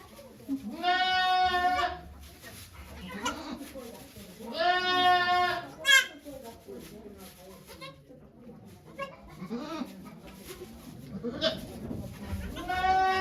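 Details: Goat Okayu giving birth at Yoshigake goat farm, Japan, on 3 May 2023 amid onlooking volunteers; several harmonic bleats recur across the clip, overlapping with steady human chatter and background hiss.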